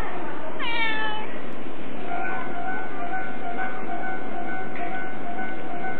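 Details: A single short domestic cat meow near the start, bright and stacked with harmonics, followed by steady, droning tones and constant background hiss.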